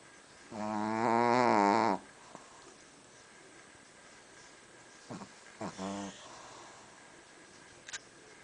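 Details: Reina, a Shih Tzu, snoring: one long, loud, droning rasp lasting about a second and a half, then a quiet pause and a few shorter snorting breaths near the end.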